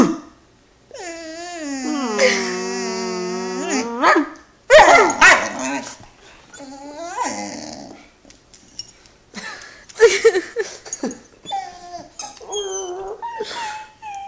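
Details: Great Dane puppy, 11 weeks old, in a tantrum over getting onto the couch alone: a long wavering howl-whine, then sharp barks, growls and shorter whimpers in uneven bursts, indoors.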